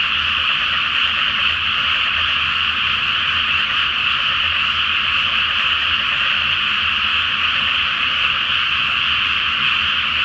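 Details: Frogs calling en masse at night from a water-filled paddy awaiting rice planting, full moon reflected on the surface; countless overlapping croaks merge into an unbroken, even, rasping drone.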